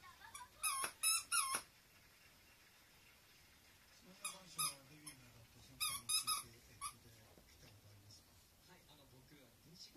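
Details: Indoor Teacup Poodle pleading for its toy to be tossed, giving clusters of thin, squeaky yelps, three quick ones at first and then a later run of four, while a person murmurs softly in between.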